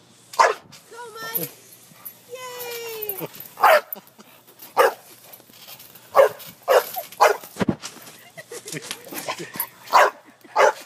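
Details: Dog barking while playing on a trampoline; sharp barks repeat about once a second, with rising whine-like voiced sounds early on and excited human voices urging it on.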